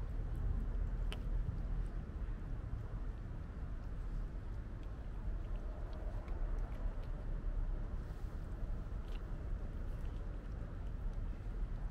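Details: Steady low rumble of passing vehicles fills an outdoor urban street scene, with a few faint clicks and no animal voices.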